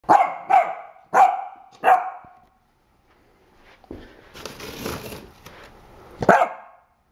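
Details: Corgi puppy Pool Noodle, frightened by a mug printed with a corgi, gives four sharp, high barks in quick succession indoors, then rustling and handling noise follow before one more loud bark near the end.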